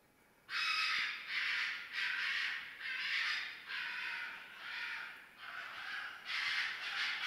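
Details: Red fox screams during mating season, a run of loud, harsh, rasping cries, each about half a second long and repeated steadily, with no other sounds.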